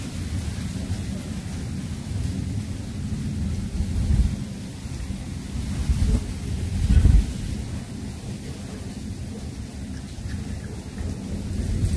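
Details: A deep, steady rumble like thunder and rain, swelling briefly around four and seven seconds, with no animal calls heard.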